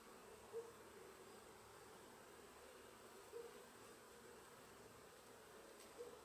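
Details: Honey bees from Sicily busy at work and carrying pollen produce a soft, constant hum, with short louder buzzes as individual bees fly near at intervals of a few seconds.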